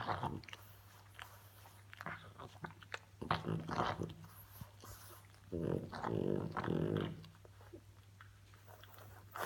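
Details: A female French Bulldog grunts and snorts in short, rough bursts over a steady low hum.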